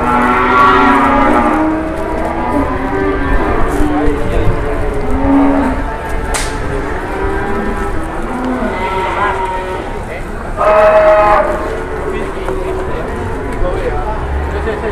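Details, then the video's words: Newly unloaded cattle in Indonesia, agitated and being gathered with the herd, bellow in long wavering moos over steady background noise, with a sharp clack near the middle. "Sapi nya Baru turun langsung ngamuk"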